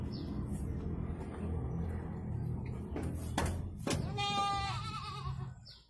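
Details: Goat in Indonesia giving birth to two kids; one wavering, tremulous bleat with rich harmonics arrives about four seconds in, preceded by sharp clicks and set against a steady low rumbling background.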